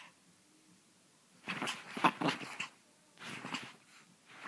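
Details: Pepito the chihuahua lets out two rough, grating bursts, the first lasting about a second and louder, the second shorter, after a quiet opening.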